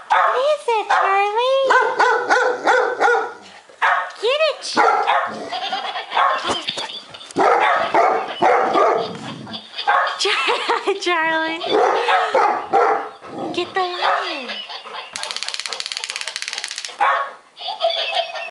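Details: Frightened by a laughing lion toy, two Golden Retrievers, one rescued and timid, let out repeated arched barks and yelps amid steady human chatter and toy noise.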